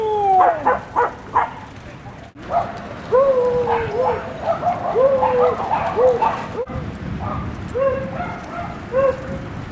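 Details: Pair of dogs at play in Seal Point Dog Park, western San Francisco Bay, on February 10, 2015, giving repeated short arched whining yelps and yips, several in quick succession, with background voices and outdoor noise.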